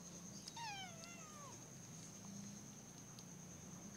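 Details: Playing kitten meowing once, a clear harmonic cry that dips then falls away over about one second, against a constant thin high-pitched whine and low indoor hum.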